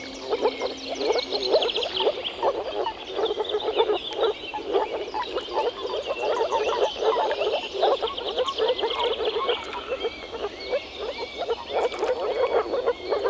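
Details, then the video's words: Many frogs croaking together at a Czech wetland in spring, a thick stream of rapid rattling croaks with birdsong whistling faintly overhead. "European frog calls"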